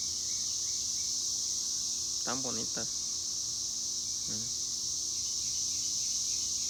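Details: Continuous shrill droning of cicadas, even and sustained, briefly overlaid by two short bursts of a human voice partway through.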